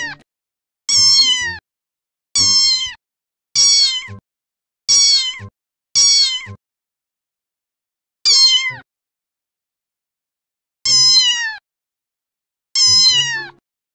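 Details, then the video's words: Domestic cat producing eight short, high, piercing meows that slide downward in pitch, delivered in an uneven series with longer pauses near the end and a silent background. "cat sounds"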